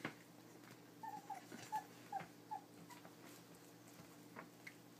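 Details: Twenty-three-day-old puppies eating dry food for the first time from a bowl indoors; a series of about six short, thin squeaky whimpers in quick succession, with soft clicks and a steady low hum behind.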